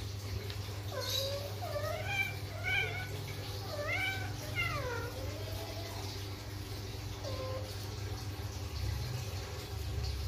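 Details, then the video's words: Persian Flatnose cat in heat while mating, uttering a run of drawn-out, wavering yowls that rise and fall in pitch, several in quick succession, then a lone shorter call after a pause, over constant low hum. "Kucing lucu birahi | Kucing Persia Flatnose"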